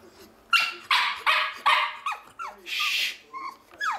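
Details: A pug makes noises likened to a monkey's: a run of short, sharp yelping barks followed by squeaky, bending yips and a hissy burst, roughly seven bursts packed into four seconds.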